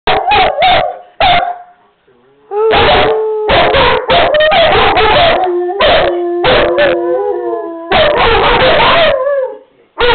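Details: Two dogs, Tanner and Buddy, howling with a little persuasion from their owner: long wavering tones sliding up and down, broken by loud bursts of barking and yipping, the howls overlapping at times.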